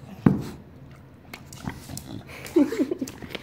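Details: Enzo, a pet dog, sniffing around in a small room, gives one sharp grunt, then a burst of snuffling snorts and short throaty grunts near the end while a man talks to him.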